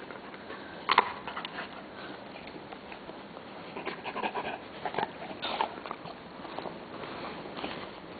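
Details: Storm, a jet black male Labrador Retriever, waits indoors to be fed tomatoes. Soft, breathy panting and sniffing come in irregular noisy bursts, louder near the start, in a quiet small room.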